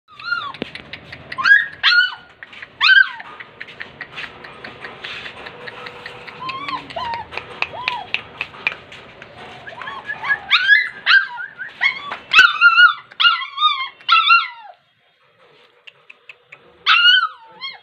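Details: German Spitz puppy in Guwahati, Assam, whimpering indoors: high, thin, wavering whines that bend up and down, coming in short bursts, with a longer busy run of overlapping cries before a brief quiet gap and a final whine.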